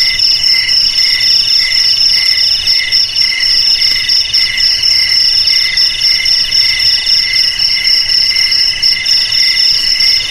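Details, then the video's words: Shrill cricket trilling in overlapping layers, the lowest band beating in clear pulses about four per second while higher tones ring steadily. "Suara JANGKRIK"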